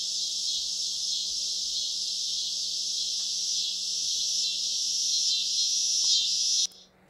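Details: Many periodical cicadas, possibly hundreds or thousands, call together in a single unbroken, high-pitched buzzing roar with no individual calls standing out; it holds level for several seconds, then cuts off suddenly. Broods XIII and XIX co-emerging, Illinois.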